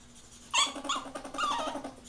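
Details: Ferrets during mating: a loud, sudden, harmonic squeal rises into whimpering cries that waver up and down over about a second and a half, with a steady low hum beneath in an indoor setting.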